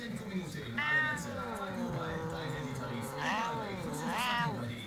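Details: Annoyed domestic cat reacting to a hand waved before him: a long, low, wavering yowl that sinks, then swells into a higher moaning wail, with soft German speech under it.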